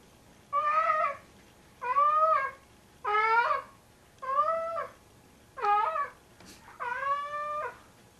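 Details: A heavy male domestic cat of about 25 pounds, which brings its "kitten" (a pair of socks) to bed at night, gives a run of six drawn-out, tonal, slightly wavering meows.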